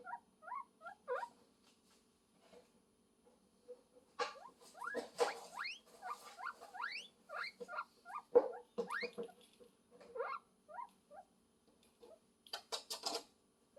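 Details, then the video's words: Guinea pig calling for love, giving bursts of quick rising squeaky chirps in irregular clusters, with faint rustling, a steady low hum underneath and brief noisy clatters. "Guinea Pig Call For Love, Sound Of Love"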